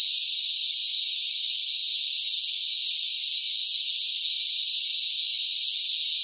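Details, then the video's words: Loud cicada song on a hot summer day, an unvarying shrill hiss sustained without interruption, steady in volume, with no other sounds mixed in. "뜨거운 무더위 속 시끄러운 매미 울음 소리"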